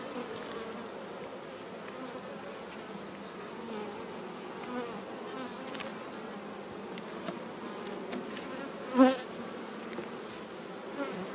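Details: Western honey bees from a swarm colony made this year humming during an inspection; a soft, even drone throughout, broken by occasional light taps and one louder knock from the frames.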